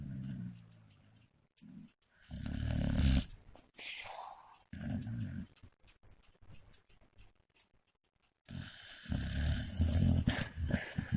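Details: American Staffordshire Terrier snoring while asleep in a bed indoors: deep, rumbling low snorts in irregular bursts of one to two seconds, separated by quiet gaps, with a person speaking briefly afterwards.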